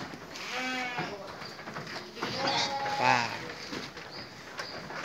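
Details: Sheep at an evening feeding, bleating in wavering harmonic calls around one second and three seconds, with people talking and background chatter throughout.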